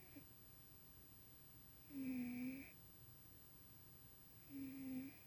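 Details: Tuxie, a pet cat, snoring while dreaming in his sleep indoors in dim light; two droning, slightly wheezy snore breaths, one louder than the other, separated by quiet pauses.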